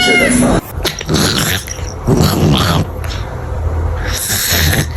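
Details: Domestic cat sleeping and snoring like a human: rough, noisy breaths in broad rasping bursts roughly every one and a half to two seconds, with a short high cry right at the start.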